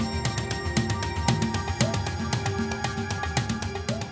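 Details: Rhythmic instrumental music with steady beats and sustained tones, and no animal voices.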